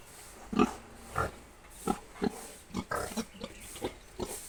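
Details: Seven-month-old young boar grunting steadily: about nine short, throaty oinks spaced roughly half a second apart, evenly loud, against low background noise.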